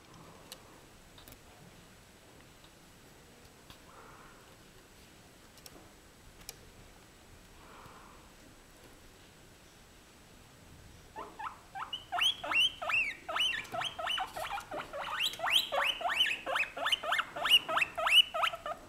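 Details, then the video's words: White female guinea pig, already fed and not asking for food, said to be happy while being filmed; after quiet ticking, a rapid series of high squeaky wheeks repeated several times per second, growing louder. "Guinea pig happy because she is being filmed/ Cobaya feliz porque la filman"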